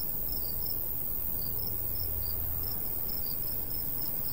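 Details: Summertime cricket chirps from countryside by a golden wheat field with a light breeze; high, evenly spaced pulses sound every few tenths of a second above steady low wind noise.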